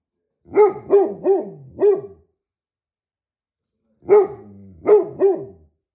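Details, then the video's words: Bursts of deep barking from a Great Pyrenees: four rapid barks, nearly two seconds of silence, then three more with a low growly tail between them. "How much do Great Pyrenees bark"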